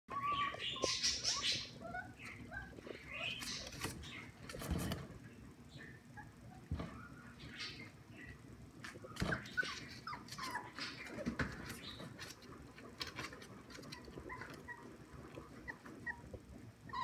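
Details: English springer spaniel puppies, on seeing their mother, give high, squeaky whines and yelps in quick, irregular bursts.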